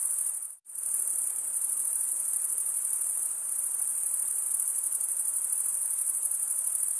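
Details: Crickets chirping, produced by males rubbing one wing's edge along the toothed vein of the other. A dense, shrill, high trill holds steadily throughout, cut by one brief silent gap near the start, with a faint hiss underneath.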